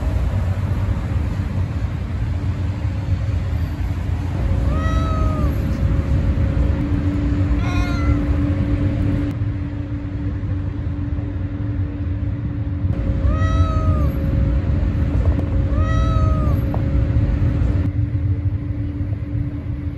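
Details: Stray cat giving four drawn-out, arching meows spaced a few seconds apart, each rising then falling in pitch, over a constant low traffic rumble and a steady mechanical hum.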